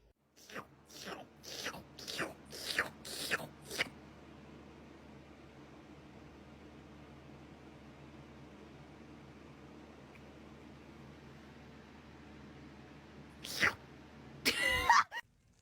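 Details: A cat making licking noises: a run of about seven short, wet, smacking licks in the first four seconds, then near silence, followed by a louder burst of rustling and smacking near the end.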